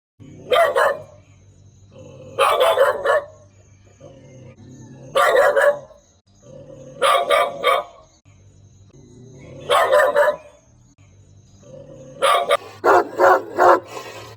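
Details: Dog barking in repeated bursts of two to three harsh barks roughly every two seconds, six bursts in all, ending in a quicker run of barks, with a low droning musical background throughout.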